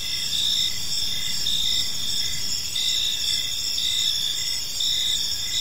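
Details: Several crickets in a park at evening produce continuous shrill trilling with evenly spaced pulsing chirps, the chorus dense and unbroken, accompanied by a gentle low background rumble.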